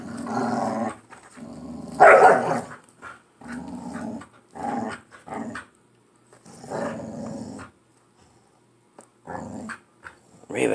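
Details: Pit bull pair at play, fighting over a dog toy indoors; repeated low growl bursts with a loud snarling yelp early on, separated by short pauses.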